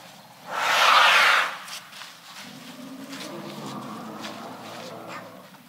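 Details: Elephant giving one loud, harsh, brassy blast lasting about a second near the start, then a quieter murmur of low rumbling and background noise for the rest.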